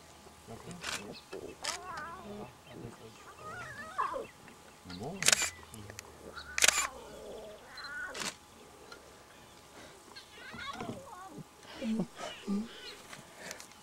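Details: Wild lion cubs beside a lioness in the bush give short, wavering whiny calls, some rising and falling. Sharp clicks and quiet human voices are heard between them.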